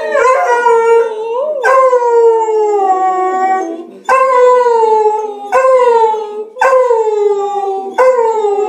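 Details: A beagle at home howls along to the Big Ben chimes of the BBC Six O'Clock News on radio, in long, drawn-out notes that slide downward, repeating in waves.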